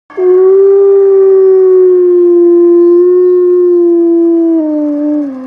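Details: A single wolf gives one long, steady, mid-pitched howl lasting about five seconds, holding level and then sliding slightly lower at the end, with clean overtones and a quiet background.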